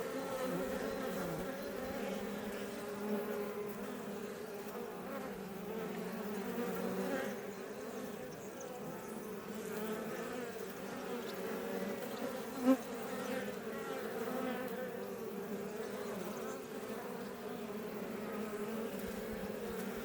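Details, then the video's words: Many Iberian honey bees (Apis mellifera iberiensis) outside a Langstroth hive west of Roquetes, near Els Ports National Park, south Tarragona, Catalonia, Spain, give a steady, dense, low buzzing hum that swells and fades slightly. "NATURE - Honey Bees Healing Sound Effect"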